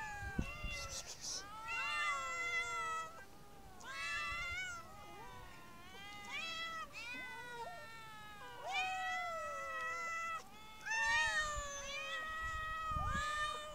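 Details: Street cats, described as half-wild and slow to approach people, meowing again and again: a run of wavering, bending meows, some rising and some falling, comes in bursts every couple of seconds with short gaps, above quiet background noise.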